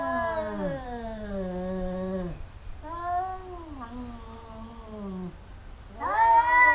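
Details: Domestic cats fighting, a pair that keeps biting each other: long drawn-out yowls sliding downward, a pause, a wavering moan, then a sudden louder rising howl at the end.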